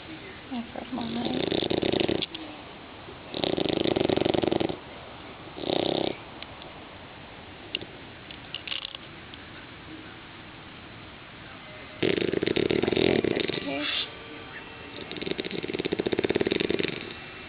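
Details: A sleeping six-month-old English Bulldog puppy gives loud, rough, buzzy snores of about a second each, in uneven bursts with quiet pauses between.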